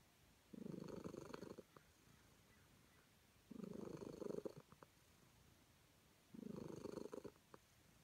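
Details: Content calico cat being petted, giving three steady purring bouts of about a second each, spaced some three seconds apart, in a quiet room.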